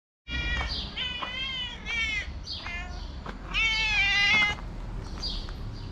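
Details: Several homeless street cats in Morocco meowing as they see the person who feeds them daily; overlapping long, wavering, high-pitched meows, some rising then falling, follow one another in quick succession with faint background noise.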